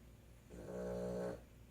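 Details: A Boston Terrier gives a single low, rumbling snore lasting under a second, indoors during a night of snoring.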